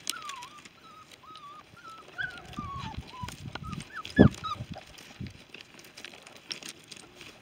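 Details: Five-week-old female Giant Schnauzer puppies from a litter, whining in thin, wavering, high whimpers that rise and fall, with soft rustling and low thumps underneath and one louder squeal midway.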